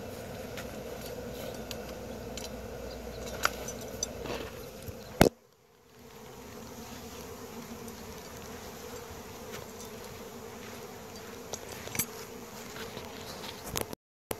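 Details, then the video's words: Bee swarm in Wisconsin in June 2016: a dense, steady droning hum of many insects with scattered sharp clicks, a brief quieter dip about a third of the way in, then the buzzing returns. "Bee swarm"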